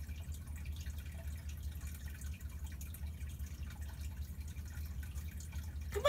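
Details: Quiet indoor room with a steady low hum and faint dripping water, soft murmured voice, and a brief louder knock at the very end; no animal voice is heard.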